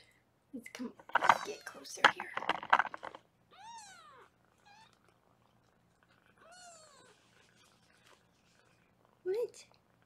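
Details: Foster kittens indoors on a live kitten cam in Los Angeles, being weighed; a woman talks first, then a kitten gives two thin, arched meows that rise and fall, with a short squeak at the end.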